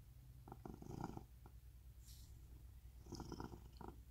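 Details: Rescued pet cat at home in Cooktown, Queensland, Australia, giving a close, low rumbling purr; soft throbbing pulses with two louder breathy surges, one near the start and one toward the end, and a faint hiss between.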